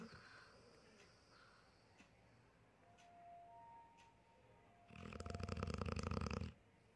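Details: Sleeping dog lets out one long, rough, rapidly pulsed snore near the end, a buzzing rattle of about a second and a half after quiet room tone with a few faint tones.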